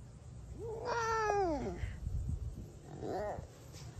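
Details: A female clouded leopard (Neofelis nebulosa) gives a drawn-out, voiced yawn that rises then sinks, followed by a shorter one.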